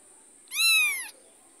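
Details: Mother cat trailing her carried kitten utters one clear, loud, drawn-out meow lasting about half a second, evenly arched in pitch, over a steady high background whine.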